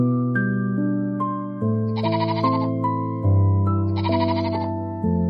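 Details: Two short nasal goat bleats, around two and four seconds in, rise over continuous electric-piano music. The melody stays loud throughout and carries steady low chords and bell-like notes.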